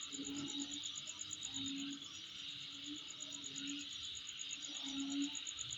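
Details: Insect chorus near a home, a continuous shrill hiss layered with a rapid ticking trill higher up, over soft low notes that come and go every second or two.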